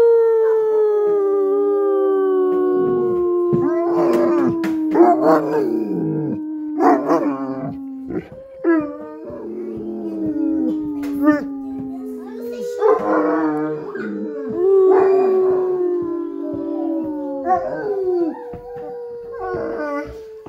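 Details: Mastiff howling on cue when its owner asks it to sing the song of its people: long sliding tones falling slowly from high to low, broken by short yelping bursts every few seconds, with music and applause sounds mixed in.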